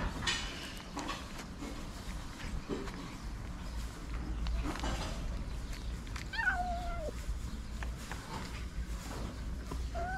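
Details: Hungry white stray cat with blue eyes on a street in Morocco, fed daily; one drawn-out meow sliding downward near the middle, a short second meow at the end, with rustling and faint background noise throughout.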